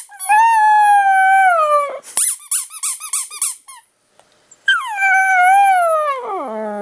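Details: Teddy Bear Pierre, a pet dog, howls indoors in response to a squeaked toy: a long, even howl, then a run of rapid rubbery squeaks, a brief pause, and a second howl that wavers and falls steeply at its end.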